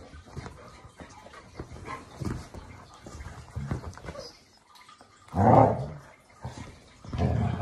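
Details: Indoor morning play fight on the sofa between a Labrador Retriever and an English show Cocker Spaniel. Soft scuffling and muffled grumbles build to one loud, harsh growling bark midway, followed by another rough burst near the end.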